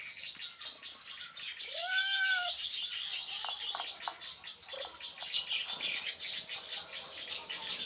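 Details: An Asian leopard cat in Indonesia gives a single drawn-out, arching meow as a mating call over a steady insect hiss.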